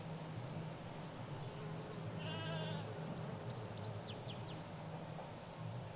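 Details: Sheep in a field among ewes and their lambs in the Hampshire countryside, captured with a stereo mic by a hedge: one wavering, harmonic bleat of about half a second midway through, over steady low rumble and scattered bird chirps.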